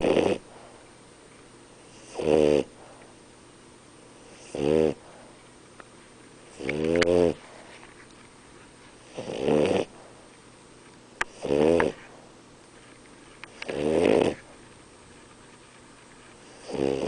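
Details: French Bulldog named Nino asleep, snoring in loud rasping bursts roughly every two and a half seconds, seven snores with quiet pauses between them, each breath rough and harmonic-rich.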